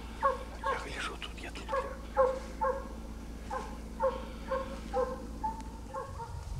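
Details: A Russian hound on a hunting walk near Orenburg, Russia, searching for partridges with a second hound, gives a quick run of short, tonal yelping barks, about two a second.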